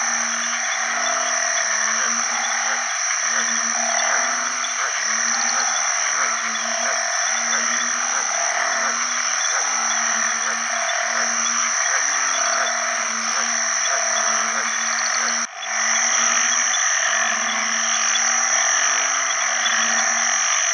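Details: Banded bullfrogs calling for mates in water after heavy rain at the start of the rainy season, alongside other frogs. Low, nasal calls repeat about once a second and overlap, over a dense, high-pitched droning chorus.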